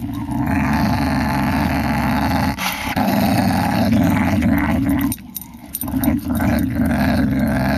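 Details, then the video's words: A pet whippet, a female dog, growls in long rumbling stretches, low and gritty with a rough pulsing texture, broken by a brief pause near the middle before the growling resumes just as strongly. "Were whippet"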